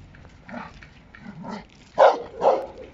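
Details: Giant Schnauzer working dog during a bus scenario training exercise, giving a few short gruff barks, two louder ones close together near the end, with quieter vocal sounds before them.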